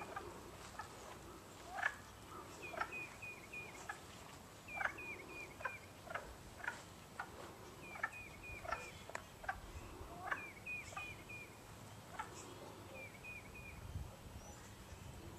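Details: Wood frogs (Lithobates sylvaticus) chorus on 19 March 2012 at Long Pasture, giving short, hoarse, duck-like quacking clucks that overlap in an uneven rhythm.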